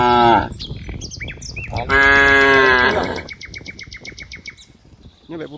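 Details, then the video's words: A herd of dozens of cows playing in green rice fields gives a short moo followed by a longer, strong, steady moo lasting about a second. Bird calls and a high insect buzz continue behind. "funny cow sounds, Moo cow sounds"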